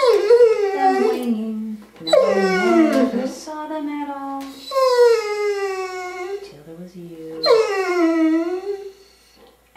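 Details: A 10-year-old female Curly-Coated Retriever howls along to the song "Till There Was You" in long, wavering, musical notes that rise and slide down, part of her nightly singing.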